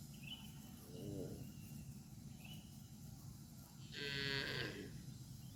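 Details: A cow grazing grass on a football field gives a short low moo, then a much louder, harsh, drawn-out bellow while eating.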